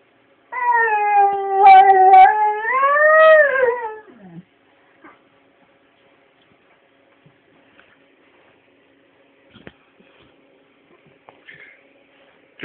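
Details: A one-year-old male Lab/Collie/Husky mix gives a sustained, wavering howl that rises and falls before trailing off.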